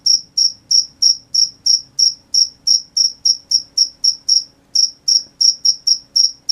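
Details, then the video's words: Crickets calling at night with a steady train of brief shrill chirps, about three per second, one small pause near the five-second mark, otherwise quiet apart from a faint low drone. "The sound of crickets at night"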